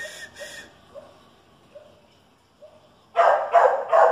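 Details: Chihuahua and dachshund facing off: faint, high yips spaced about half a second apart, then a sudden run of three loud, harsh barks in the final second.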